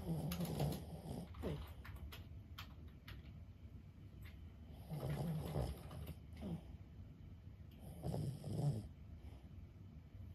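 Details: Lulu, a 15-year-old senior Boston Terrier, asleep indoors: deep, rasping snores in three long, low breathy bursts, each a few seconds apart, with quiet room tone between.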